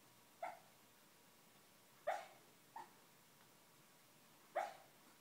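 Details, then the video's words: Schnauzer barking in his sleep while dreaming: four short, soft, muffled woofs at irregular intervals, the third one smaller, over a quiet indoor background. "my schnauzer barking in his dreams"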